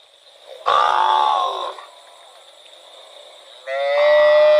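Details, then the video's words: Cow wandering in rural rice fields gives a loud, rough moo lasting about a second, then after a quiet pause a clearer, tonal, drawn-out moo with bright harmonics begins, over a steady high-pitched hum. "Cute cow wandering in rural rice fields - Funny cow sound"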